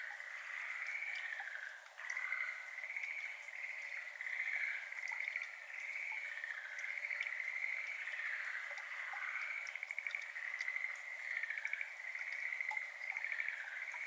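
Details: A steady distant chorus of Schlegel's green tree frogs, native only to Japan, rolls on without a break at a water-filled iris garden at 6:53 pm on 17 May 2022, recorded in ambisonics. Scattered water droplets plink softly in the background.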